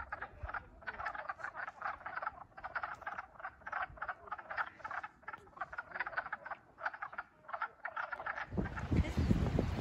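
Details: A chorus of wood frogs calling from a small pond by a lake at Ashland State Park: short, clucking, duck-like croaks in rapid overlapping succession.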